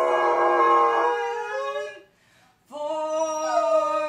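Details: A golden retriever sings "Climb Every Mountain" with its owner. A drawn-out, steady howl fades into silence, then a fresh note starts with an upward slide and is held.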